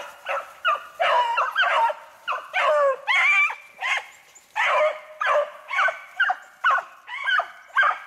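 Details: Beagles hunting snowshoe hare, recorded 3/8/16; about fourteen sharp, ringing barks and bays come in an uneven run roughly every half second, some with a slight yelping rise, over faint background hiss.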